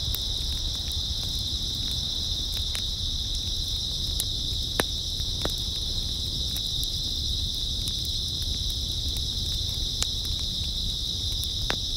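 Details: Grass insects on an early autumn night: a steady, unbroken high shrill chorus holds throughout, over a low rumbling background, with scattered sharp clicks and crackles every second or so.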